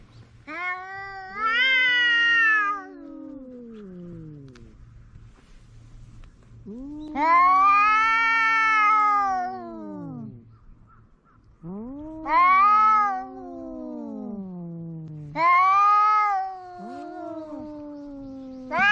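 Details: Two pet cats quarrelling at home, a face-off to see who wins: long, drawn-out moaning yowls of about two seconds each, rising then sliding down in pitch, four bouts separated by quiet pauses, with a faint low hum beneath.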